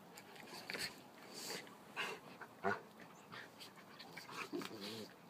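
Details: Dogs play-fighting, wrestling with each other: scattered breathy panting bursts and short scuffling noises, with a brief whimpering, wavering whine near the end.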